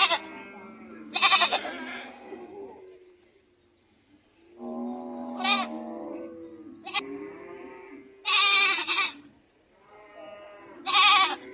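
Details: Several goats trade loud, raspy screams with quavering bleats between them. The bursts come in uneven bunches, with a short quiet gap near the middle and a faint constant high tone behind.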